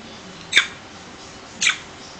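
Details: A 13-week-old Morkie puppy, kept with a Pomeranian puppy, gives two brief, high, squeaky chirps about a second apart; it apparently chirps instead of barking.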